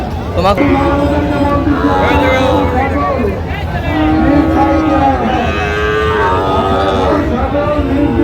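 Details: Sahiwal cattle at a busy cattle market in Chattogram, Bangladesh, on 4 August 2025, where bull calves are being sold; several overlapping moos, wavering and bending up and down, over loud crowd chatter and market noise.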